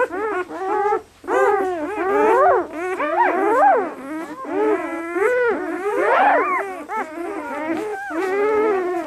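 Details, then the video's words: Two-day-old German Shepherd puppies from a litter of five males and three females in Maine; loud, sustained whining and howl-like wails with sweeping pitch, several pups crying over one another. "German Shepherd Puppies 48 hours old"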